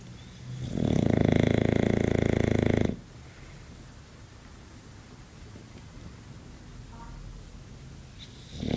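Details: Loud pig-like snoring from an English Bulldog: a two-second rattling, vibrating snore, then a long quiet pause of soft breathing before the next snore begins.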